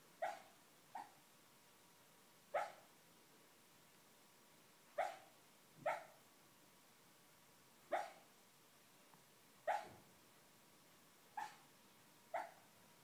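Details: Dreaming schnauzer letting out muffled barks in his sleep, about nine brief soft woofs spaced unevenly one to two seconds apart, some in quick pairs, in a quiet room.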